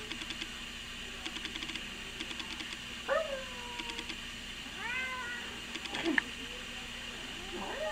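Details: Domestic cat, angered at being held while a person meows at it, gives several short, strained meows that bend up then fall, spaced a second or two apart, over a steady low hum and soft handling noise.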